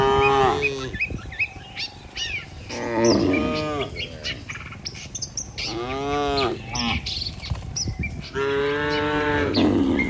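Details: Healthy cattle walking as a herd back to their barn, guided by a herder. Lowing comes from several animals: four arched, resonant moos spaced two to three seconds apart, the last one long and sustained. Bird chirps and twitters run throughout.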